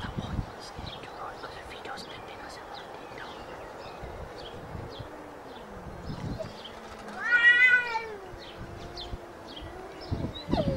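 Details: Cats before fighting: a low, wavering moan runs underneath, then one sharp, loud meow bursts out near the end and slides down into a long, low yowl over a steady background hiss.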